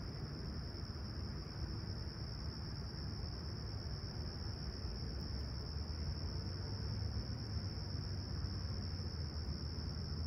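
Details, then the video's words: Chirping crickets on a serene July 28, 2020 summer sunrise in Humber Bay Shores, Toronto, clear sky, 20ºC: a high, even, unchanging trill persists for the whole stretch above a dense low-frequency hum. "Serene Summer Toronto Morning With Chirping Crickets"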